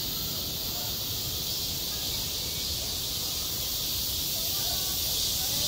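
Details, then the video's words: Cicadas singing on a school playground in midsummer: a steady, dense, high hissing drone that stays level throughout, with faint muffled background murmur. "한 여름 운동장에서 매미가 울고 있다 - 여름의 소리, 학교 종소리, 매미 울음소리"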